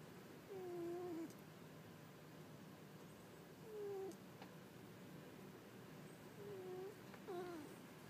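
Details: Sleeping cat snoring quietly: soft, whistle-like falling tones recur every two to three seconds with each breath, faint and close, against a hushed indoor background.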